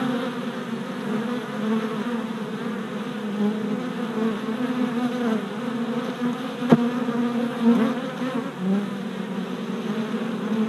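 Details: Worker honey bees circling a new hive on orientation flights, four days after installation, giving a steady low buzz with passing swells and one sharp click near the middle.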